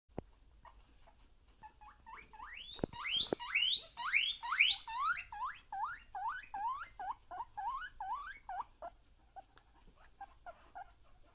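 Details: Pet guinea pig screaming: a rapid series of high, squealing rising notes, about two per second, louder and denser in the middle and fading toward the end, with a few soft knocks at the start.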